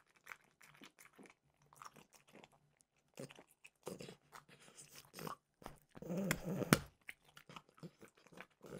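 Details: French bulldog snacking on peanut butter flavored dog treats: irregular dry crunches and bites in quick bursts, with a louder, denser stretch of crunching around the middle before scattered chews resume.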